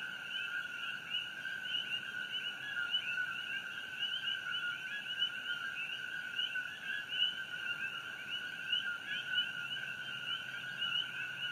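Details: Coqui frogs in full night chorus near the Fissure 8 eruption, Hawaii Island, June 27, 2018; dense overlapping chirps with quick upward sweeps sustain a constant, two-toned high drone.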